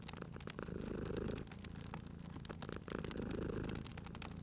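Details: Cat beside a crackling fireplace, its soft low purr rising in two drawn-out breath phases under frequent clicking and popping from the fire.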